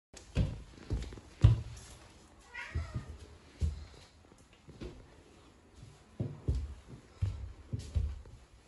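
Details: Norwegian Forest Cat, a pet indoors in a small room, comes to watch a daughter's odd behaviour; a short rising-falling meow near two and a half seconds amid soft thumps, and a child speaking Japanese just after.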